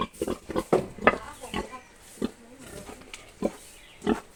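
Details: Young boar, about seven months old, gives short, deep, rasping grunts in irregular clusters, several quick ones early, then isolated grunts about once a second, with quiet hiss between them.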